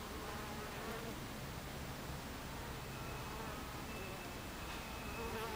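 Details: Constant hum of many honey bees crowding a hive entrance in the afternoon of 26 July 2013, thick overlapping buzzing with a low drone and faint higher whines passing by.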